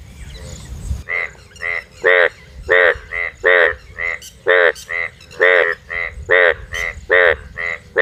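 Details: Night chorus of four frogs: after a second of rustling noise, nasal buzzy croaks repeat roughly twice a second, louder and fainter callers alternating unevenly as if answering one another.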